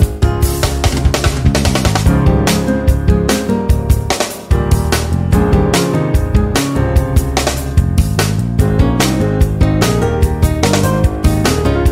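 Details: Loud band music with a driving drum kit and bass, briefly dipping near the middle.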